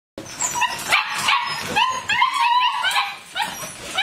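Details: Six-week-old German Shepherd puppies, a litter of eight, giving high yips and whining whimpers, several short rising and falling cries overlapping in quick succession.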